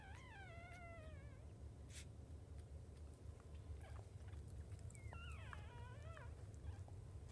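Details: Five newborn puppies of a Jack Russell Chihuahua mix mother cry out with wavering, descending squeals, one at the start and another around five seconds in, against a constant low rumble.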